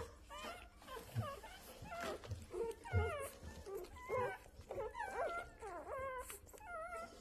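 Rottweilers whine in high, wavering tones, one whimper after another, with voices overlapping.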